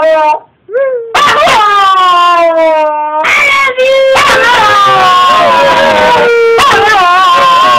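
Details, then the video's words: Excited Wire Fox Terrier named Snoopy 'sings' to greet its owner returning home for the weekend, with a short rising yelp, then sustained, slowly falling howls and bending, whiny notes. "snoopy the wire fox singing "i love you""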